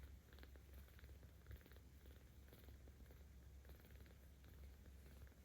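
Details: Being stroked, the 17-day-old kitten Aochan, in the care of cat volunteers in Tama City, Tokyo, on 10 October 2022, gives a deep, unbroken purr, steady and soft, with faint brushing sounds over the rumble.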